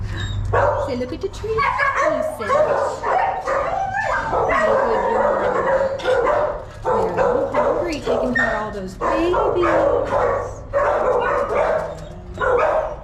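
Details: Jubilee, a mother dog, with her puppies: rapid high yips and whining cries crowd together almost without pause, a few sliding whines dropping in pitch, with human voices mixed in.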